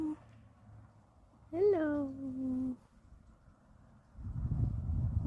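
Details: Domestic cat on a front porch on a warm autumn day, giving a single meow that rises sharply and then holds low for about a second, with a woman's soft greetings before and rustling afterward.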